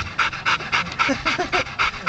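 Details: Two yellow Labrador Retrievers roughhousing in the back of a pickup truck; rapid, breathy panting bursts about four times a second, with faint low grunts underneath.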